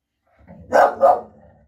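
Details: Female English bull terrier guarding the house, protective of her territory and reacting to any noise outside; two quick, loud barks in close succession after a low, soft rumble, inside a room.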